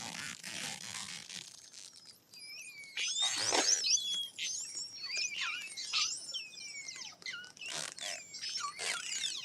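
Short-finned pilot whales trade high, sweeping whistles over bursts of rapid, crackling clicks.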